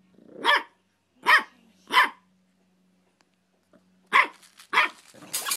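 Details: Barking from a pet dachshund and pug: three punchy barks in quick succession, a silent pause, then two more barks followed by rougher, scratchy noise.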